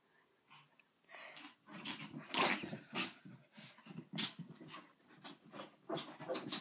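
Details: Andy, a pet dog indoors, making odd grumbling growls and huffing noises in rough irregular bursts, breathy and throaty, rising and falling over several seconds.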